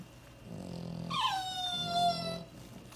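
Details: A female lilac tri-color merle French Bulldog snores, with a low rumbling breath and a long whistling squeak sliding downward.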